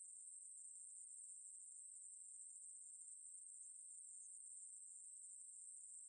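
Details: A Ruspolia katydid gives an unbroken, shrill, sizzling drone at a constant high pitch with an even volume. No birds, voices or other noises are heard.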